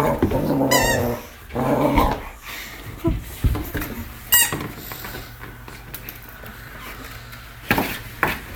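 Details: Four-month-old male Rhodesian Ridgeback playing indoors with a toy hamburger from his Christmas presents, letting out deep rumbling growls in short bursts, with squeaks, knocks and scuffling between them.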